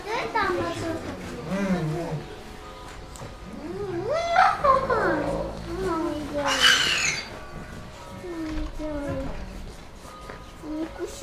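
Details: Flirting wolves give wavering, arching whines and yodel-like yelps rising and falling in pitch, several overlapping in bursts, while people talk in the background.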